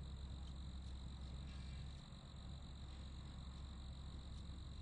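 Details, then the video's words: Crickets chirping in a steady, high, continuous trill with faint pulsing, under a constant low rumble of background noise. "Royalty Free Sounds (Crickets)"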